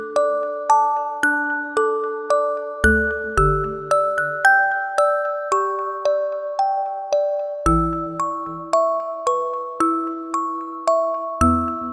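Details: A gentle glockenspiel lullaby of evenly spaced chiming notes with soft low chords, with no animal voice.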